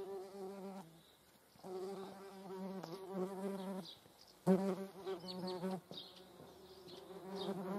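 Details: Median wasps, observed with honeybees, make a droning wingbeat buzz with a low fundamental and stacked harmonics. It comes in bursts that fade and return as the insects fly about, with faint clicks and rustles.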